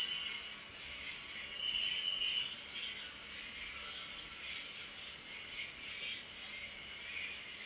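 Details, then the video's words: Crickets at night, chirping for sleep and relaxation: a constant thin, high-pitched trilling band runs unbroken, with light lower tones wavering faintly in the background. "Cricket Sound| Sleep and Relaxation Nature Sound| Stars &Moon| Cricket Noise| Night Sound"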